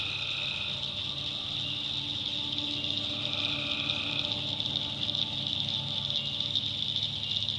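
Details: Swamp at night in North Carolina backwoods with tree frogs calling: a constant shrill chorus over which shorter lower trills start and stop, forming layered, overlapping calls.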